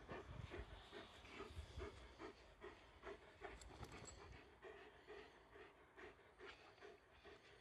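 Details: Komondor dog playing, running and jumping, panting in rapid rhythmic breaths about twice per second, soft and breathy, with low rumbling background noise throughout.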